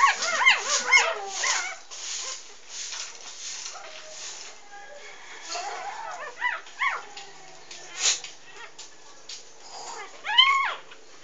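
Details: English Bulldog puppies at three days old, nursing on their mother Maggie, whose first litter numbers six, three males and three females; bursts of high, bending squeaks come in scattered clusters, separated by quieter stretches of faint rustling.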